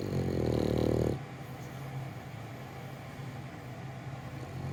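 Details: Held and sound asleep, the French Bulldog Gonta gives one rough, droning snore lasting about a second, followed by near silence with a faint constant low hum.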